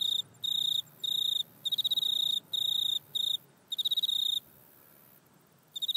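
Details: High, rasping pulsed chirps from a grasshopper in a back yard, recorded on an iPhone: bursts under a second long repeated with short gaps, then a pause of about a second before calling resumes.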